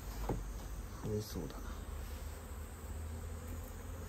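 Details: Japanese honey bees from a colony nesting inside a storehouse, coming and going while the nest is being removed; short buzzy, low droning passes near the start, then steady low rumble with light handling noises.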